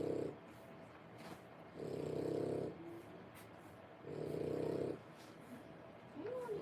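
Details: French Bulldog puppies, three weeks old and born 1/10/25, at whelping age; low, rough snore-like breaths, each about a second long, returning roughly every two seconds with quiet gaps between.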